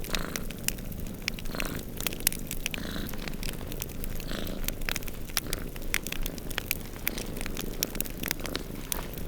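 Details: Two cats snoozing and purring by a crackling fireplace during a snowstorm; a steady low rumbling purr runs beneath dense, sharp crackles and pops from the fire throughout.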